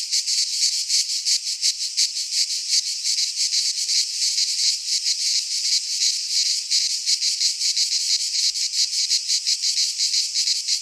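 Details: Midsummer cicada chorus from a pine forest in Greece, a loud continuous rasping buzz pulsing quickly and slightly unevenly throughout, nothing else audible.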